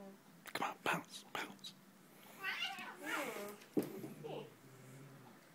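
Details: Two pet cats, a tortoiseshell and a cream-coloured one, scuffle indoors in a playful fight: sharp thumps, then a wavering, drawn-out growling yowl rising and falling, with a woman commenting over it.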